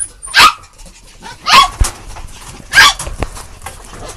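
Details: Puppies giving three short, sharp yelping barks spaced about a second and a quarter apart, each a bright, clipped burst with a slight rise and fall in tone, heard over a quiet background.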